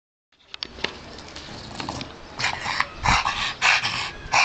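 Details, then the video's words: Bulldog playing excitedly with a barrel, giving short broadband yelps and whimpers in a quickening irregular series, louder toward the end, with knocking and scuffling from the play. "my bulldog and his barrell"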